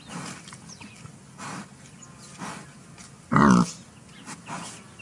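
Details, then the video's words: Wild boar giving soft, low rhythmic grunts about once a second, broken by one loud, harsh squealing grunt in the middle, with quiet background between calls. "Wild Boar Sounds"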